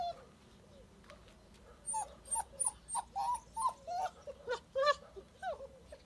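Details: Active black puppy giving short whined squeaks after a quiet start, about two per second, bending up and down in pitch, over low background hiss.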